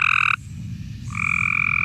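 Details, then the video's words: Male Cope's gray tree frog calling at night to attract females, a harsh, angry-sounding trill; two loud buzzy bursts, one short at the start and one longer after a brief pause, over low background rumble. "That's the males trying to attract the female."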